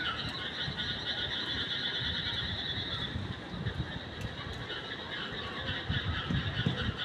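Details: A dense night chorus of frogs, a steady high trilling hum over low rumbling background noise.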